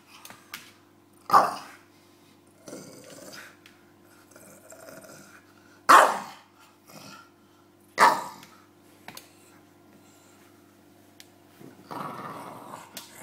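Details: James the bulldog at play with his pillow, giving sharp single barks spaced several seconds apart amid quieter grunts, snuffles and rustling, over a constant low hum.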